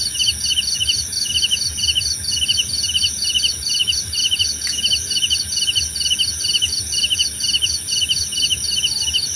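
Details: Crickets calling in a relaxing nature soundscape, brisk pulsed chirps repeating roughly 136 times a minute, layered over steady high-pitched insect whine, with a couple of brief clicks.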